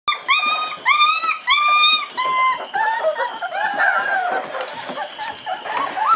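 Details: 26-day-old Hungarian Vizsla puppies at their first supplementary feeding with puppy milk give a chorus of thin, high whines and squeals. Clear arched cries come first, then overlapping yelps and whimpers from several pups.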